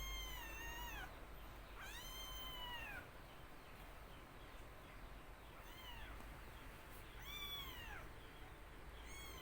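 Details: Young black kitten mewing repeatedly. Five high, arching meows, each rising then falling, come at uneven gaps of about one to three seconds over a steady indoor background hiss.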